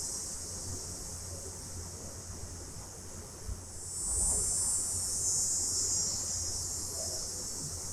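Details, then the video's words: Cicadas sing at night in summer, a steady, high-pitched hissing drone that swells in loudness midway through. "Cicadas At Night Sound Effect"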